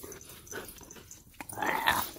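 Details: Siberian Husky crying at a happy reunion with its owner after a week home alone; a soft, rising tonal whine swells in the final second amid faint shuffling indoor noises.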